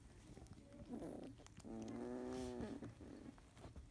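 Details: Field-type Labrador Retriever puppies, 31 days old, in the morning, one yellow female buried among her littermates; a short whimper, then a longer steady whine of about a second, over soft rustling.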